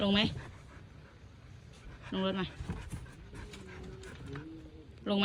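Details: Tang, a Siberian Husky, reacting to a parcel delivery with short yodel-like harmonic cries at the start, middle and end, separated by quieter stretches with human talk and faint panting.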